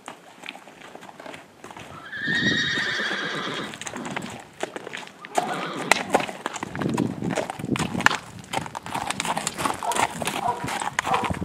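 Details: Tennessee Walking Horse mare being bathed lets out a drawn-out whinny early on, followed by sloshing water, hoof clops and handling noises with occasional human speech.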